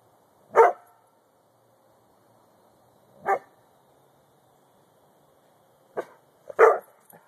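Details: Luigi the dog barks in a quiet room, loud clipped woofs at roughly three-second intervals, the last two coming close together.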